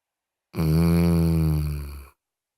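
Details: Moses, a pet dog, snoring loudly: one long, deep, droning snore lasting about a second and a half, steady and buzzy, fading slightly at the end, with silence around it.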